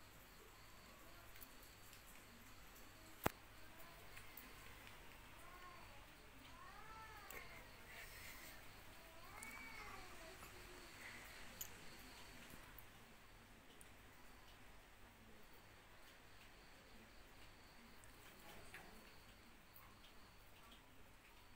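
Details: Cats suckling milk from a dog give a run of soft, arched meows, rising then falling, clustered midway through, over a steady low hum with a sharp click early on.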